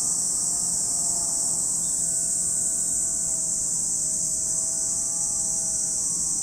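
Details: Cicadas at Lake Kamo in Sado City, Niigata Prefecture, Japan, producing a steady, unbroken high-pitched hiss that fills the whole recording, with faint low drifting engine-like tones underneath.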